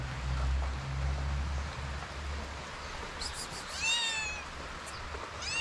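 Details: Abandoned kitten in Morocco, hungry and hesitating to come closer, lets out a short, high, bent meow late in the clip after low rumbling noise, with a faint second cry at the very end.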